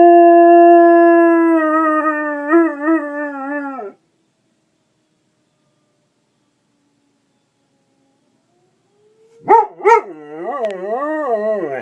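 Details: A dog howls along with a fire alarm in long, sustained tones that waver and break into a quavering wobble.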